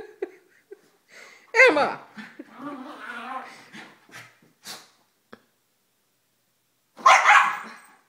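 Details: Three household dogs (Mini Schnauzer, female Basset, Yorkie) wrestling in a morning routine as treats are offered: scattered barks and yelps between spells of a woman's voice, ending in a loud rough bark burst.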